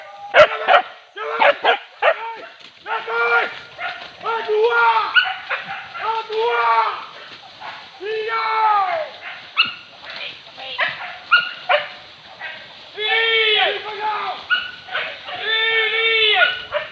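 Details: Hunting dogs barking in chorus while chasing wild boar pests at Tarok Sicincin, Padang Pariaman; several voices give rapid, overlapping yelping barks in uneven bursts, with a few short pauses and human voices mixed in.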